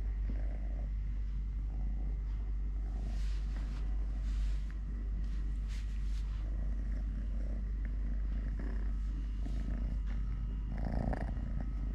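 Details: Totoshka, a three-legged male domestic cat who lost a leg when his mother bit it at birth, purring while eating, playing, walking and fighting with a hand: a steady low rumbling purr with a faint rustle and a brief louder scrape near the end.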